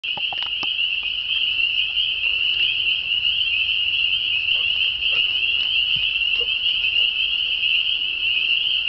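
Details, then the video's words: A vast chorus of frogs, like a thousand singing, at a pond near Bottom Creek Gorge, Virginia, at dusk on a warm evening. A dense, unbroken high trilling band runs throughout, with a few scattered clicks and taps. "Frog Serenade"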